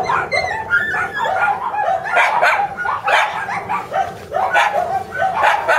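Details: High-pitched whining yips open the sequence before an energetic Shiba Inu puppy, tipped to reach mame-shiba size, breaks into a string of sharp, bright barks in clustered bursts, with a short lull near the four-second mark.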